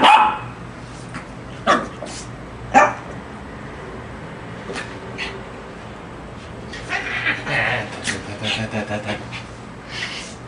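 A small Lhasa Apso gives sharp, scattered barks, then a quicker run of high yaps.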